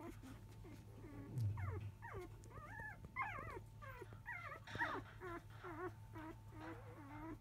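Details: Five-day-old field Labrador Retriever puppies crying while their mother dog is eating, shortly after 1 pm; continuous overlapping high whimpers and wavy squeals, several pups calling at once, with a low bump and steady mechanical hum.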